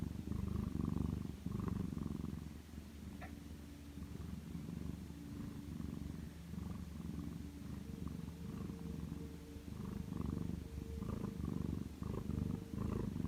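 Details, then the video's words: Sleeping pet cat Macaron during an afternoon nap indoors: continuous deep rumbling purr or snore, fast fluttering pulses with gentle rises in loudness, a faint thin hum running underneath in a quiet room. "마카롱의 코골이(?)"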